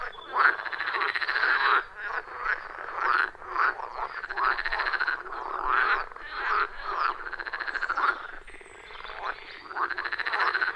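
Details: Frogs calling in a loud, rhythmic chorus around a wild forest pond, recorded on iPhone 14 Pro with Shure MV88+; dense overlapping rattling croaks pulse in bursts of about a second, with no music or talking.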